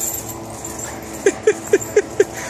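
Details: Bull terrier named Harley hunting a squirrel in the woods gives five short, high yips in quick succession, about one every quarter second, over soft background hiss.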